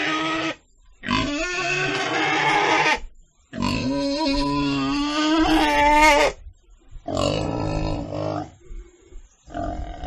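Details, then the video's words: Pig squealing in four harsh, raspy bursts of one to three seconds each, with wavering, strained pitch and short silences between them. "Sound Of Pig - 豬的聲音 [ Suara Babi ]"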